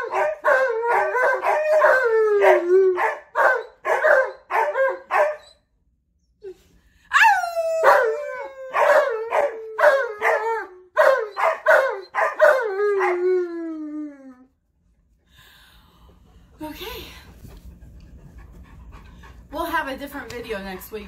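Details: Alaskan Malamute named Tonka on a morning vocal spree, with a second dog, Monroe, joining in. Short wavering woo-woo yowls repeat rapidly, then longer howling notes slide downward, followed by quieter murmuring sounds and faint background noise.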